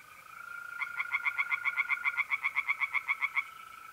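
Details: Pond-dwelling tree frog at night in mid-April, north-east Italy: one fast series of about seventeen sharp, evenly spaced croaks lasting under three seconds, set against an unbroken, even mole cricket trill.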